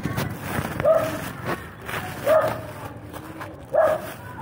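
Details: Stray dogs greet someone they know with three short, clipped yips spaced roughly a second and a half apart, over a dull, noisy background.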